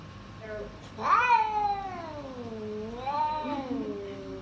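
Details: Domestic cat uttering a loud rising-then-falling meow that trails into a long, wavering moan, followed by a second softer drawn-out cry, indoors.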